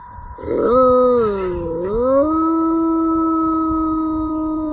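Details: Dog in a funny pet compilation gives a long sustained howl, starting with a wavering dip in pitch and then holding a steady tone with strong harmonics for several seconds.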